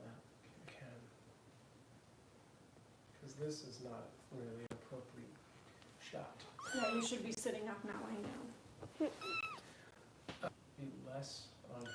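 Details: Foster kitten Harper being bottle-fed by Kitten Rescue volunteers in Los Angeles, indoors in a small room; high, wavering, rising-and-falling mews come in short bursts toward the middle and end, mixed with people talking softly nearby.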